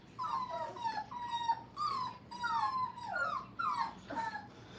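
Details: Brittany puppies, five weeks old, at play in a training kennel. Thin, high whimpering whines repeat roughly every half second, each sliding or wavering slightly in pitch, in a steady run of about eight cries.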